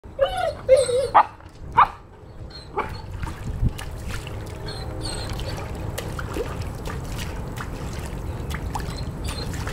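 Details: A 10-month-old male Weimaraner gives high, wavering distress whines after dropping his favourite pheasant toy into a pool, followed by a steady wash of trickling water.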